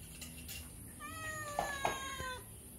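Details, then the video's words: A cat passing by the side of a house meows, begging for food; a drawn-out harmonic meow around the middle, faint background noise and a person speaking nearby. "Kucing Lewat Pingir Rumah Mengeong minta makan"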